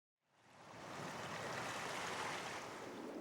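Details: A steady rush of water or surf fills the recording, with no animal voices. The broadband roar builds quickly and then holds even.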